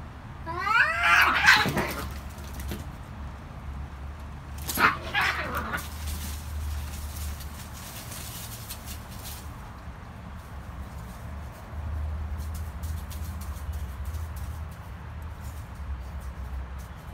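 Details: Cats fighting with two harsh, loud screeching bursts a few seconds apart, raspy and noisy, followed by a long stretch of quieter rustling and background noise.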